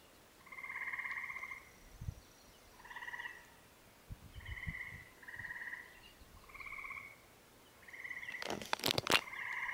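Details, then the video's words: Tree frogs in Windsor, Maine, giving short trilled, pulsed notes repeated about every second and a half, with knocking and crinkling handling noises near the end. "Tree Frogs Windsor Maine"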